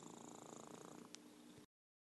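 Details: Close, steady purring from Merlin, an orange tabby known as a champion purrer: fast rhythmic pulses forming a continuous rumble, one faint click, then an abrupt cut to silence.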